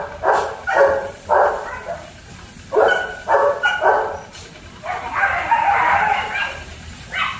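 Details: Excited German Shepherd pups at a kennel give short, separate yapping barks in quick pairs. Near the end they break into a longer, drawn-out whining yelp over a low steady background hum.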